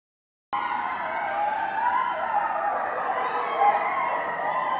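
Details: Several coyotes howl at night in a residential neighborhood, loud overlapping wavering tones sliding up and down and blending into a continuous chorus after a silent start.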